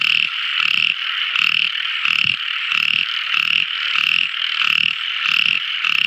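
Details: Tiny frog calling at night: steady pulsed croaks about one and a half per second, each a short rasping burst, over a continuous high ringing chorus.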